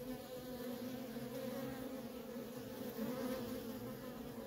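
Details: Short stretch of steady honey bee buzzing as worker bees stream in and out of a feral colony, a thick, even drone with two bright stacked tones.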